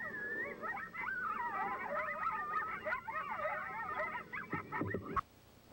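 A coyote pack in a group yip howl: wavering howls and quick yips overlap, announcing their territory.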